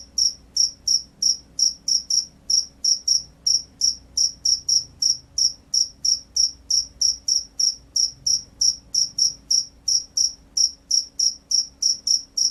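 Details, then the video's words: Field cricket in loud, persistent gacor chirping: some three dozen sharp, high pulses, at times paired closely, at a slightly uneven rhythm near three per second, over a quiet low background. "SUARA JANGKRIK SAWAH"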